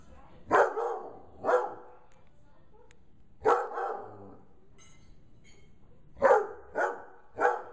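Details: A 5-month-old Bloodhound, scared by a gorilla puppet, gives deep, sharp barks in irregular bursts, some spaced about a second apart.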